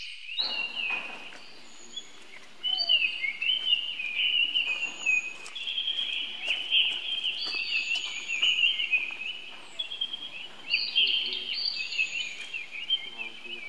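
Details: Young monkey's cries for help to its older brother: continuous high, quavering squeals and wails, swelling and fading in long overlapping phrases, with soft rustling and distant background noise.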